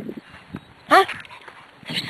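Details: Cairn Terrier hunting a gopher in July 2006: a single sharp, high yip with a quick upward sweep, among soft human murmurs and rustling.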